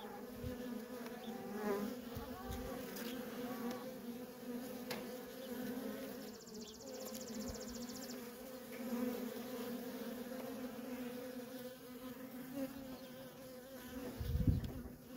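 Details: Nonstop traffic of worker honey bees at a feral colony makes a full, wavering buzz with passing individual bees. A short high pulsed ticking sounds in the middle, and a low thump comes near the end.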